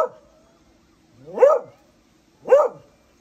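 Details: Beagle wanting to play while the owner tries to sleep: two loud, sharp barks about a second apart, each rising then falling, after a brief whine at the start.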